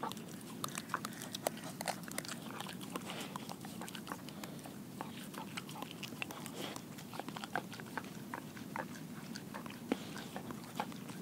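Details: German Shepherd mix dog crunching through a whole raw Cornish hen, with sharp bone-cracking snaps and wet chewing repeated in quick irregular bursts, heard close in a small indoor room.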